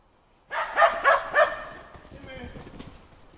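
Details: Shetland Sheepdog Timmy during agility training on the 4th of July gives three quick, sharp barks in a row, about a third of a second apart, followed by a softer tail of background noise.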